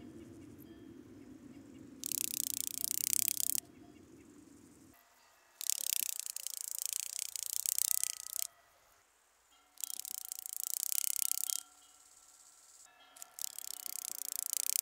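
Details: Rattle grasshopper, Psophus stridulus, at Boltigen, Switzerland, on 7 September 2023: four loud, dry, hissing rattles, each about one and a half seconds long, separated by quiet gaps, with faint low background hum between bursts.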